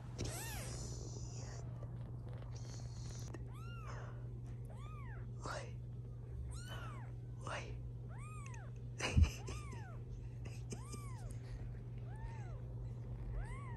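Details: British Shorthair kittens from a litter of five, aged 16 days and of different colours, give thin, high mews that rise then fall, repeated about once a second.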